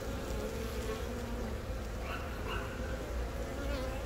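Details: Brief stretch of honey bee colony drone while a queen born from a natural swarm lays eggs, Baegam, Yongin, April 20; unbroken low buzzing with soft faint higher tones midway.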